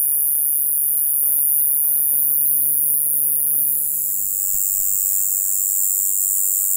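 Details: In the lowland plains of western Japan, a Japanese conehead katydid sings a steady, very high, shrill buzz that runs on without a break.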